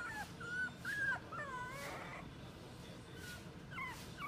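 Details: Dog at a pet shop, giving high thin whimpering whines around half a second to one second, then a longer wavering whine near two seconds and short yelps toward the end, over a steady low hum of shop noise.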